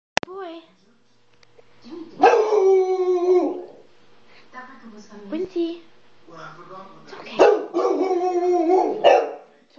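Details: Dog barking at the door indoors: a sharp first bark, then two long harsh drawn-out barks with strong harmonics about five seconds apart, quieter grumbling between, and a person's voice.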